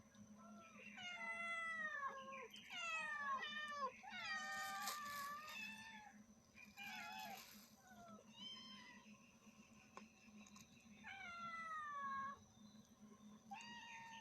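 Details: Cat and kittens meowing loudly indoors: repeated high, bending meows, some overlapping in quick bursts, others drawn out and falling, with short pauses between and a faint steady hum underneath.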